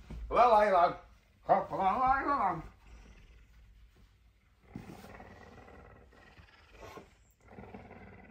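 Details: Messi, a very hungry puma ready to do anything for breakfast on a Tuesday morning, gives two loud, drawn-out wavering calls, the second longer, then fainter, lower calls after short pauses.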